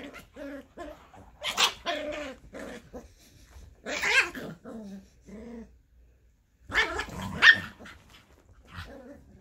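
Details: Scottish Terrier mother playing with her six-week-old puppy on Mother's Day, indoors: bursts of rough growling mixed with sharp barks and yips, loud clusters around the start, middle and end with quieter gaps between.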